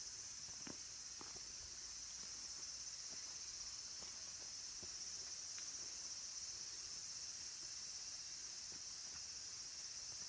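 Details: Cicadas singing among the green trees of Kabusanji temple in the mountains of Takatsuki City, Japan, as summer ends, with minmin and tsukutsukuboshi cicadas present: a constant piercing high buzz, steady in loudness, over occasional light clicks.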